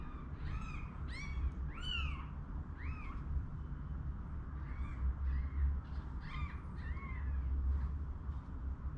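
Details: Many overlapping high, bending mews from one-day-old kittens, moved indoors with their mother as a cold storm sets in, come in bursts throughout, some rising and falling, over a steady low-pitched rumble.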